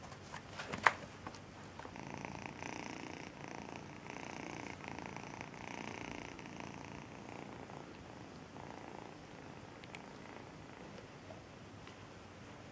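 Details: Melissa, a rescued cat raised from a two-month-old kitten, purring: a soft continuous rhythmic rumble in pulsing waves throughout, with one sharp click near the start in a quiet indoor setting.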